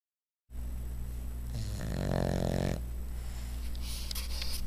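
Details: A sleeping dog lying on its side snores. One drawn-out, rasping snore swells in the middle over a steady low hum. A faint hiss rises near the end.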